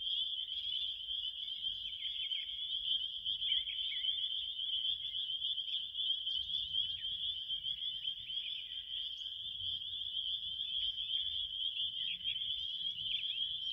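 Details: Relaxing crickets sing as a continuous high trilling chorus, dotted with short fainter chirp bursts from other callers and a light low rumble in the background.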